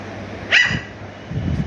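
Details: Shih Tzu arguing for food when hungry, indoors: a single short, sharp bark with a tonal ring, followed by a woman's soft voice in Telugu.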